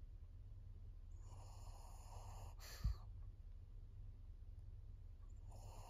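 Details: Maria, a 14-year-old fawn female senior pug in Japan, recorded 22 September 2024; two raspy, hissing breath sounds about four seconds apart in a quiet room, with a single sharp tap between them.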